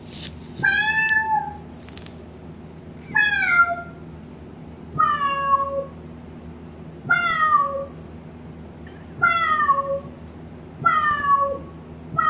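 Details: Domestic cat meowing in reply to a synthesized cat sound, repeated plaintive meows roughly every two seconds, each sliding downward from a higher start and tailing off, with a faint clatter at the outset in a quiet room.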